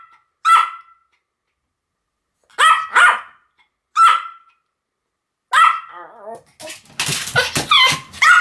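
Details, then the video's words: Two Pomeranians, Sam and Marin, duet barking: sharp, high-pitched yaps come singly and in quick pairs, roughly five bursts spaced a second or two apart, then a dense clattering noise overlaps the final barks. "犬の鳴き声 ポメラニアン サム マリン デュエット吠え"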